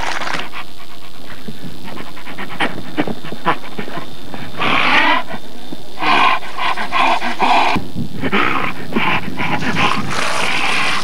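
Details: Alaskan Malamute panting hard and growling roughly, breathy broadband bursts repeating irregularly and swelling louder in the second half, with steady background hiss.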